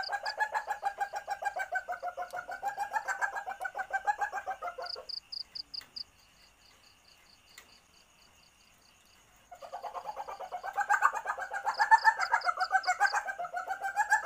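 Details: Asian palm civet in heat, used to lure others: long runs of rapid pulsed chattering, wavering in pitch, with a short silent gap holding faint high clicks.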